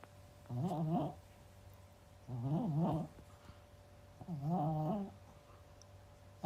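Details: Pomeranian, a large one, snoring with an unusual, quirky rhythm indoors: three rasping, wavering snore bursts about two seconds apart, each roughly half a second long, with quiet breathing between.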